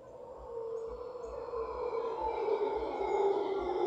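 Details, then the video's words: Large troop of howler monkeys in a tree beside a property in Guanacaste, giving a sustained, droning, roaring chorus that swells steadily louder across the few seconds, with a faint high bird note above. "Howler Monkeys in Guanacaste"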